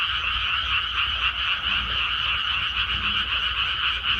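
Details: Chorus of frogs from a freshly planted Korean rice paddy: many croaking voices merge into a steady pulsing drone, with faint rhythmic beats about four per second over a low background hum.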